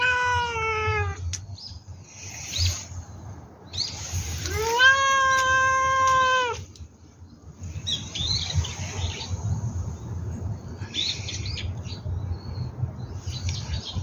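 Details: Kittens meowing while their mother is away, on the day they start trying dry food; two drawn-out tonal meows, the first falling in pitch, the second longer and steady, over a low background hum.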